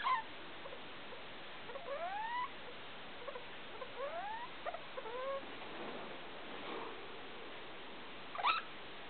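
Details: Felica, a pet degu, calling indoors at 2 o'clock at night with the room light on: a series of soft, rising whistled arcs with faint harmonics, several close together, then one sharp louder chirp near the end.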